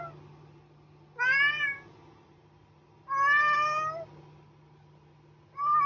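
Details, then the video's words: Cat meowing three times about two seconds apart, each a clear nasal wail, over a steady low hum. "Cat Meowing"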